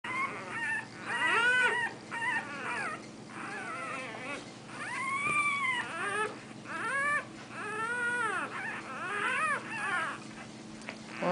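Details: One-week-old bulldog puppies, two littermates, making high whining squeals, each arching up and falling back, repeated in quick bursts roughly every second, with a faint steady hum underneath and a short music passage.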